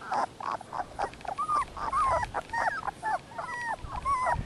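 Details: Eighteen-day-old Dogo Canario puppies whimper in a steady string of brief, bent whines, roughly two per second, with a few softer grunty squeaks between them.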